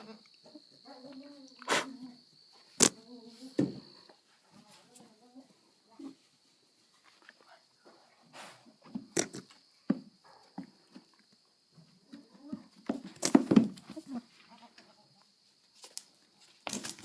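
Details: Pet goat caught making odd noises while trying to mount its owner; wavering, buzzy, harmonic bleats open the recording, followed by short grunts, loud clicks and knocks, and scattered low vocal bursts.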